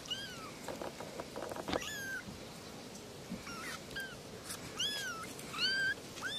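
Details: Kittens meowing: scattered high, arched mews, some overlapping, mixed with clicks, knocks and rustling handling noises, the cries growing louder in the final seconds.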